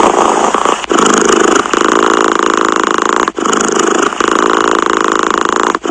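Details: Cat purring close up: a steady, rough buzzing rumble that swells in long breath-length phases, each broken by a brief near-silent catch about every two to three seconds.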